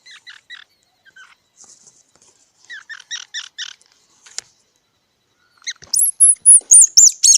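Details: Squirrel calling in rapid bursts of short, harmonic chips, followed by a run of loud, shrill, high-pitched squeaks near the end; no other sounds are present.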